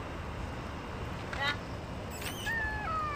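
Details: Stray cat outdoors at feeding time, hungry: a man speaks briefly, then a sharp noise and a long, steady meow that slowly drops in pitch, with low street rumble throughout.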